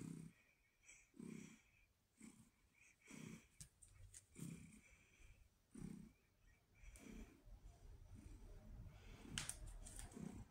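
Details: Indoors in October 2023, Pumpkin the female red tabby cat keeps up a loud purr: low throaty bursts repeat roughly every second, growing rougher and more continuous toward the end, with scattered soft clicks.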